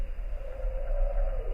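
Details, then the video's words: A humpback whale song recorded north of the Bering Strait, above the Arctic Circle, in December: a sustained, wavering moaning tone over a low rumble of ocean noise. "And here you're hearing a humpback whale song that was recorded north of Bering Strait."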